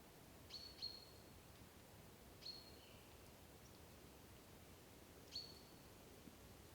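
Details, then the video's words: Sika deer whistling near Dobroplyosy village, Krasny Bor, on 3 October 2015, reacting to danger and calling to each other: four short, high, thin whistles with brief falling tails, scattered over seven seconds against a quiet, steady background hiss. "Олень пятнистый. Свист. Sika deer. Whistling."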